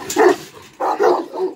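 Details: Adult rottweiler about one and a half years old, said to have a strong temperament, at a kennel, gives a deep bark followed by two more hoarse, rough barks in quick succession.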